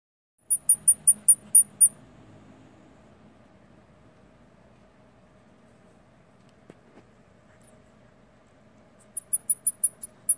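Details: A baby long-eared hedgehog separated from its mother gives rapid, very high, thin peeps as it searches for her.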